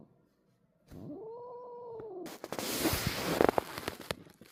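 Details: Older sister cat angered by a kitten: one arched, moaning yowl lasting over a second, then loud rustling and scuffling noise.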